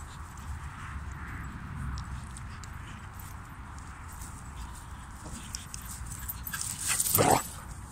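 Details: German Pinscher of the Danixaris kennel, whose dogs Lincoln, Queen, Molly and Figa were filmed in summer 2022; after seconds of steady low rumble, one sharp, loud bark bursts out near the end.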